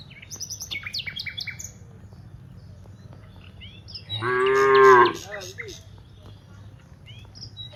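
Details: Cows walking from the rice fields to the village; one long harmonic moo of about a second stands out, with bird chirps and twitters before and after over a low background rumble.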